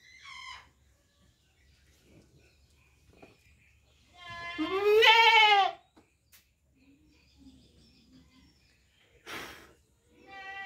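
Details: Goat bleating: a loud, wavering bleat of about one and a half seconds in the middle, with shorter, fainter bleats near the start and end and quiet background noise between calls.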